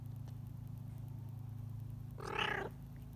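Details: F1 Bengal cat mother caring for her F2 charcoal Bengal kitten gives one short harmonic meow-like call near the end, over a steady low mechanical hum.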